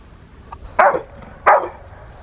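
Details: Young female Rottweiler, 13 months old, barking during protection training in April 2021 while preparing for ZTP and IGP1: two sharp, loud barks about 0.7 seconds apart over a quiet background.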